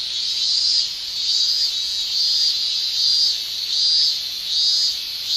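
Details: Japanese summer cicadas, males producing tymbal song: a dense high shrilling that pulses in regular surges a little over once per second.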